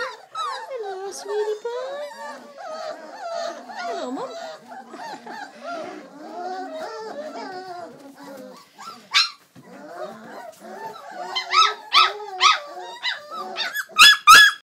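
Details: Bobtail puppies, Old English Sheepdogs, crying in a steady tangle of thin, wavering whimpers. A brief lull follows, then sharper, louder yelps burst out near the end.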